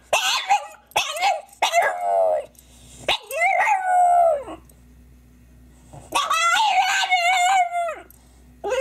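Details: French bulldog crying with yelps, then drawn-out howling whines that slide downward, a pause, and a long wavering howled cry near the end; a faint low hum underneath.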